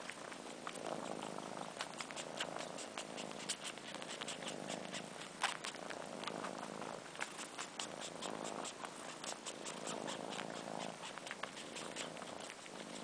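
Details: Sheba, a fluffy four-month-old kitten, and his sister Carla suck on his long fur for comfort in their mother's absence. A gentle, continuous purr is heard with repeated wet sucking clicks, some in quick bursts.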